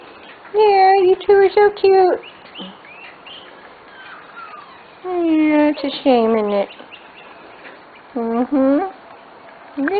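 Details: Nearly six-week-old Corgi puppies from a special litter whine in bursts: clusters of high, tonal whimpers and short yelps, some sliding upward, across ten seconds, with a woman's voice nearby.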